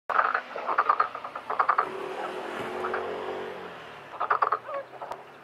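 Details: Black-spotted pond frogs calling in a pond during mating and egg-laying; bursts of rapid croaking pulses come in clusters near the start and again after four seconds, with a quieter murmuring chorus between.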